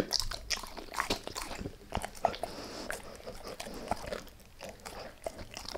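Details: Gnawing on a beef rib, Max the dog makes crisp biting snaps and grinding crunches in quick uneven clusters, with small squeaky scrapes of tooth on bone between them.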